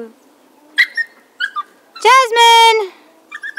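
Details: Siberian Husky puppies at almost six weeks old: a few short high yips and squeaks, then a loud, drawn-out, strongly harmonic whining howl lasting under a second, ending in brief squeaks, with a person talking nearby.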